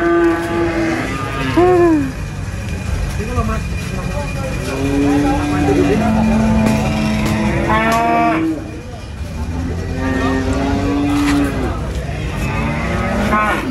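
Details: Cattle at the Prambanan animal market, brought there for sale, mooing repeatedly: short falling calls alternate with long level bellows, several animals overlapping amid steady crowd and traffic noise.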